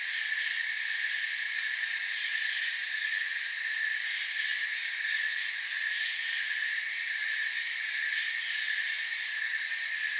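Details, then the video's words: Night forest ambience of chirping crickets: a continuous, even wall of high-pitched trilling that holds the same level throughout, with faint flickers in the highest tones and nothing else audible. "Forest Sounds and Crickets for 10 hours"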